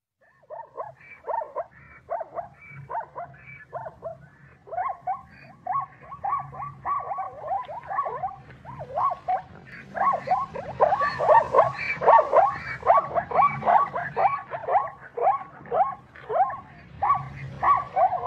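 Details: Zebra giving a long series of quick, yelping bark-like calls, roughly two per second, each note sliding downward with harmonic overtones, building louder and denser toward the middle, with a low steady hum underneath.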